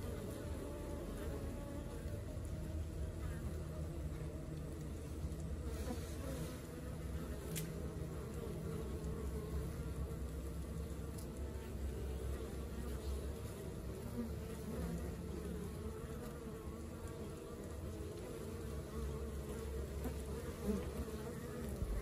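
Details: Working colony of honey bees producing a steady, low droning hum that holds even for the whole stretch, with occasional faint knocks and a soft background rumble.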